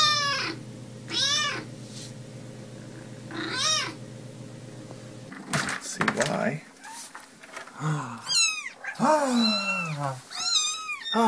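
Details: Domestic cat meowing: three high meows over a humming background, then a noisier stretch with clatter and a person talking, mixed with repeated loud, wailing meows.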